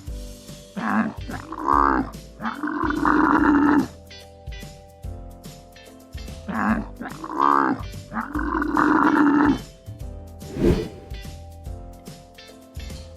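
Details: Bactrian camel making rough, gurgling, moaning calls in two bouts about three seconds long, roughly six seconds apart, with a short extra grunt near the end, over continuous background music.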